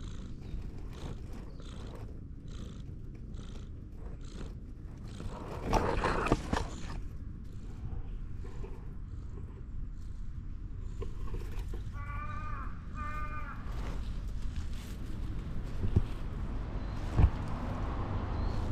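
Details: A stray cat in a park, approached by someone asking to shake hands, purrs in a low, steady rumble throughout. A short harmonic call breaks in near the middle, and soft rustles and handling noises are heard.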